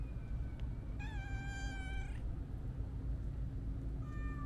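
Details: Siamese mix stray cat uttering one long, rich meow of over a second, steady then rising slightly at the close. A shorter meow follows near the end over a constant low hum.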